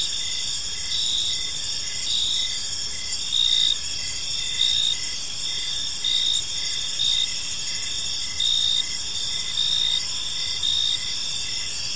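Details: Crickets in a park as evening falls, a constant high trilling chorus punctuated by louder chirp bursts roughly every one to two seconds, with quiet ambient noise below.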